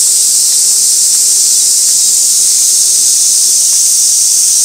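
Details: Summer cicada chorus, Gaikotsu Mountain, 2 August 2024, stationary camera near an old sawtooth oak: shrill, steady buzzing hiss filling the whole recording at constant strength.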